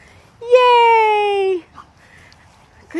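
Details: Tonka, a pet Alaskan Malamute frightened by a black cat, lets out a single drawn-out whine lasting about a second. It holds a steady tone and then slides gently downward, with a quiet voice heard faintly afterward.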